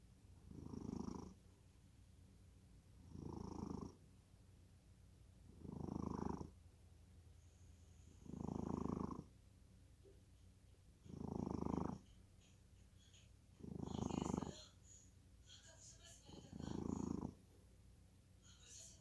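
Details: Cat snoring in deep sleep: seven low, rasping breath bursts about every two and a half seconds, each lasting about a second, with faint high ticking sounds near the end.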